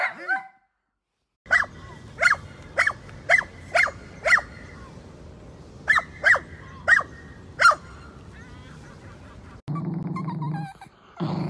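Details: Dachshund, a sausage dog kept as a pet, giving about ten sharp, short barks spaced roughly half a second apart in two bursts, then a pause and a stretch of rustling household noise.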